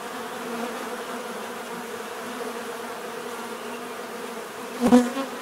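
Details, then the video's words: Soft continuous bee buzzing, a gentle low hum, ending with a sharp loud buzz as one bee zooms right past the microphone. "bees therapy relaxing natural buzzing sound"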